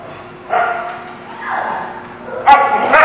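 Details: Dog barking on 20 June 2016: three tonal, harmonic barks or yelps about half a second to a second long, spaced roughly a second apart, the last one louder and rougher than the first two.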